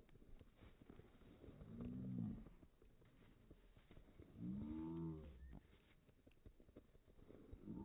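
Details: Newfoundland dog named Bear, happy that his owner has come home and hugging him: two drawn-out, low, moaning howls with rising and falling pitch, about two and a half seconds apart, amid rustling and household noise.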